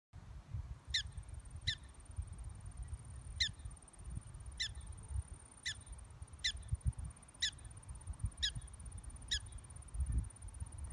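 A prairie dog gives short, sharp chirps at uneven intervals over a low rumble and a faint steady whine.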